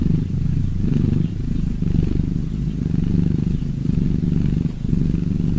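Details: Cats purring in a continuous deep vibrating hum, the rumble pulsing about once per second as breathing alternates, with brief slight dips in loudness.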